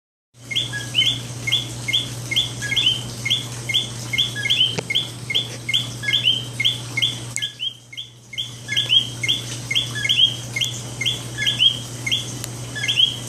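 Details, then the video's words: Coqui frogs at night in San Juan, Puerto Rico: a dense chorus of short, bright two-part chirps, rising in pitch, repeating almost continuously with overlapping callers. Brief quieter gap midway, steady low hum underneath. "Coqui Sounds"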